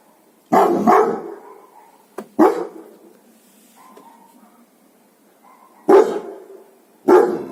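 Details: Guard dogs barking: loud, broad harsh barks in short bursts, a double bark near the start, then single barks after a pause, with a faint whine between.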